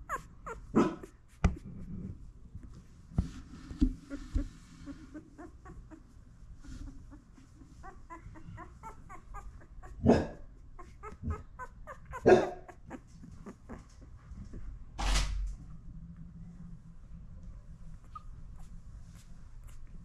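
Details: Mother Labradoodle indoors licking and cleaning her newborn puppies; thin, high squeaky whimpers come in short repeated bursts mid-way, amid soft licking, breathing and occasional loud bumps.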